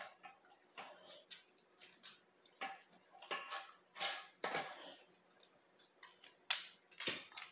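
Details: Dog eating, recorded up close for ASMR: wet, crisp slurping and licking noises in irregular bursts, roughly one or two each second, bright and hissy with no low rumble, in a quiet indoor space.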